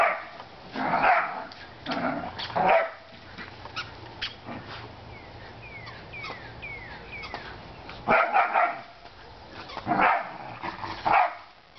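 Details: Playing whippets Chippy, Chase and Viola outdoors give bursts of rough, harsh barks, a cluster early on and more near the end, while small birds chirp with short falling notes in the quiet middle stretch.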